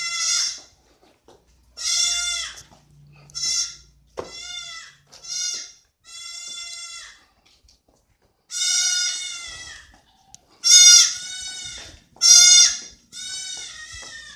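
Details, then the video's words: Village goats crying repeatedly, about a dozen wavering, strongly harmonic bleats in irregular bursts, some short and sharp, others drawn out, with quiet gaps between and no other clear sounds. "you will hear goats crying"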